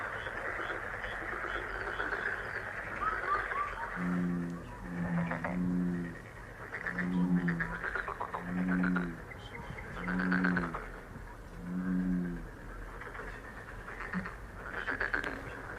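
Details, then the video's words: Frog calling as a relaxing luck sound: low, throaty croaks come in paired or grouped bursts roughly every second or two, over a steady hum, with faint bird chirps and other murmuring in the background. "행운 개구리소리 The sound of a lucky frog"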